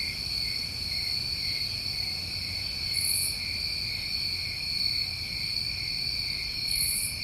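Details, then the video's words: New England crickets on a summer night keep up a constant shrill trill, with two short, very high hissy bursts roughly four seconds apart over a faint low hum. "Over 1 Hour Of Tinnitus Masking With Crickets"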